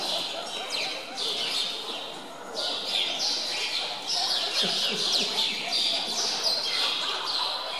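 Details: Zoo Augsburg meerkats competing for chicks during feeding, grabbing food from one another; a steady mass of shrill, buzzy squeaks and chirps from several animals at once, with a quieter stretch near the start.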